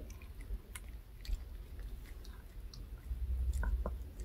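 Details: Dog named Reka eagerly munching a fish-shaped bun treat bought from a handmade dog snack shop; rapid wet crunching and biting, roughly four chews per second, close and loud in a small room.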